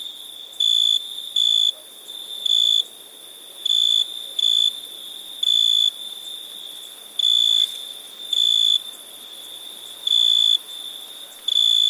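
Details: Cricket calling at night with high buzzy chirps, some in close pairs and others single, separated by irregular pauses, while a constant shrill insect drone continues beneath.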